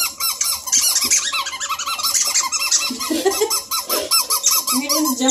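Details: A litter of Bluetick Coonhound pups and a Redbone puppy near Kingston, Ontario, Canada, climbing over each other while playing; dense overlapping short squeaky whines repeat quickly, with a steady hiss behind them.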